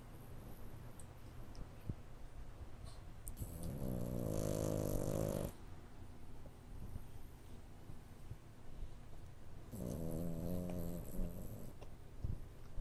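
A French Bulldog puppy snores in two long, rattling breaths, low and throaty with a raspy buzz.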